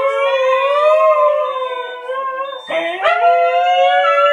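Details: A Siberian Husky at home howls while a scooter is being reversed, long, sustained, slightly wavering tones with a brief break and a rising restart.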